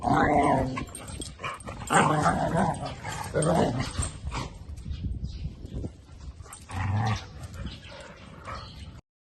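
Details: Female dog in a red collar vocalising during play with another dog, giving rough growls and grumbles in uneven bursts over several seconds, the noises strongest early on, with Thai speech mixed in.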